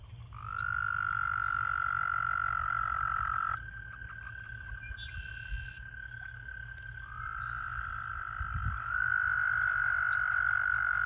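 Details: Several American toads trilling in a breeding pool during the breeding season, with mating pairs in amplexus: long steady high trills overlap and hand off to one another, with a brief buzzy burst in the middle and low background rumble.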